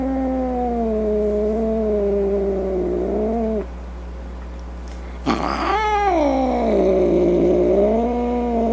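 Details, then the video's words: Domestic cat making a drawn-out, slightly wobbling yowl that ends roughly, a pause, then a sudden harsh, snarling outburst that rises steeply and melts into another long, rolling moan. "Cat Sounds | Cat Meow Sounds, Snarling Sounds, Hissing Sounds | The Sounds a Cat Makes"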